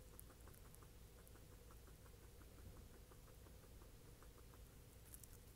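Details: A pet guinea pig eating banana, smacking its lips while mashing it: soft rapid ticking chews repeated several times a second, quiet against a steady low hum.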